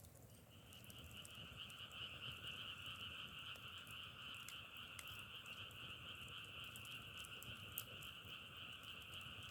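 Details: Frog chorus outdoors in nature, a dense continuous trilling drone holding two steady pitch bands, one mid and one high, with scattered sharp crackling clicks throughout.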